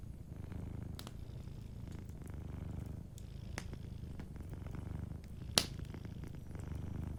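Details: Cozy fireside purring of a sleeping cat, a low throbbing drone running steadily, with a few sharp fire snaps, the loudest one past the middle.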